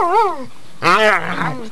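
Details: Pit bulls Harley and Lilly, two pet females, romping under a bed indoors: a rising-and-falling yodel-like growl, a short pause, then a louder, longer harmonic groan that trails off.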